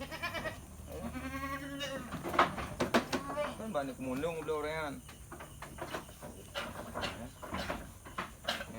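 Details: Goats kept in a pen at Indatu Farm in Lhokseumawe, Aceh, give a run of shaky, vibrato-laden bleats in the middle of the clip, while voices chatter around them and faint background noise continues.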